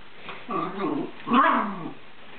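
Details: Scottish Terrier joining in while its owner plays with the cat Minx; two short throaty growling grunts about a second apart, the second louder and rougher, indoors.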